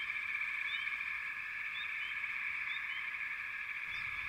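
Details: Distant frog chorus heard as a steady high ringing hum, with a few brief rising chirps standing out over the blend.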